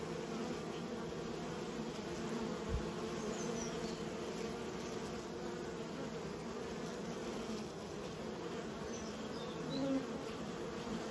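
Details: Honey bees kept by a beekeeper give a steady, dense hum of many wings, a continuous low drone with a brief louder pass near the tenth second.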